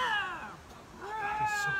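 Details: Lynx during a screaming match: a harmonic, wailing yowl that starts high and slides downward, followed by a second rising-then-falling wail, with a faint hiss behind.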